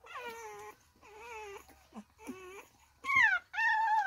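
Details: Staffordshire Bull Terrier puppies, three weeks old, beside their mother, May 2022; a run of squeaky, wavering whimpers, some dipping and rising, ending in two louder, sharper whines that fall in pitch.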